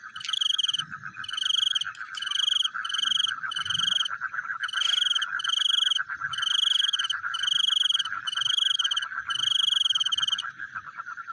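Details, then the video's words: Frogs calling at night: a steady, dense pulsing chorus underlies loud, high, buzzy trilled bursts about half a second long, repeating roughly once a second with short gaps between them. "The Sound of Frogs Chewing in the Night"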